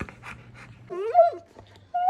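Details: Wulf, a husky-malamute cross pet dog, 'talking' indoors with his owner: rising and falling whiny howl near 0.9–1.4 s and a brief high whine at the end, after panting, with a woman speaking before and after.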